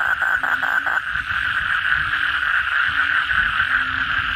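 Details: Asian common toads (kodok bangkong) calling loudly at night after heavy rain: a fast pulsed burst in the opening second, then a steady buzzing chorus of many callers with faint low hums beneath.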